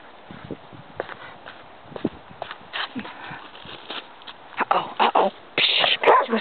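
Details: Kerry Blue Terriers playing outdoors in the snow: scattered sharp barks, sparse at first, then louder and more frequent in the final seconds, over a faint background hiss.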